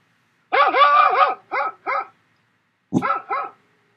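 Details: A recording of dog barking, played to a puppy who couldn't tell where it came from: a quick burst of harsh, harmonic barks, then a pause and more barks.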